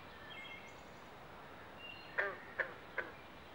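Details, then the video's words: Carpenter and green frogs croak from a Pinelands pond in Southampton, New Jersey, during mating season: three sharp, knocking calls about 0.4 seconds apart near the end, after soft thin bird whistles over a steady outdoor hiss. "Southampton NJ Frog Pond Sounds at Mating Season"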